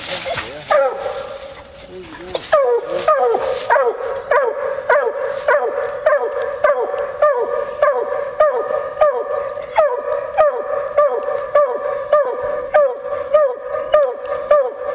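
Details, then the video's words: A female Bluetick Coonhound during coon hunting barks persistently, roughly every half second for fifteen seconds. Each note drops in pitch. There is a short pause and a human voice early on, then an unbroken rhythmic chop of barks. "Coon Hunting With A Bluetick Hound"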